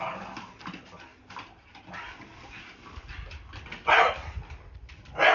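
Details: A blue Staffordshire Bull Terrier, scared of a broom, tells it off with sharp, loud barks amid quieter whines and muffled household sounds.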